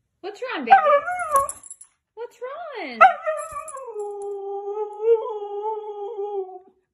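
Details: Siberian Husky Mika vocalizing just after a 30-minute walk: drawn-out, wavering howl-whines, with a bent, rising-and-falling opening and a long steady tone sliding slowly downward, while a woman talks to the dog between calls.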